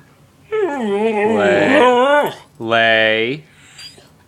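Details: Marty, a Siberian Husky kept as a pet, protests indoors over PF Changs food while told to sit and lie down: a long wavering, warbling whine-howl, then a shorter steady one, with a man's voice giving commands.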